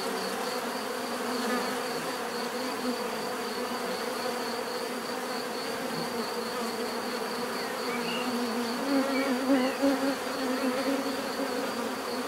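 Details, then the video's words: Bees buzzing in nature, a thick steady drone that swells slightly near the end as individual insects fly close, with a pulsing high whine in the background. "bees therapy relaxing natural buzzing sound"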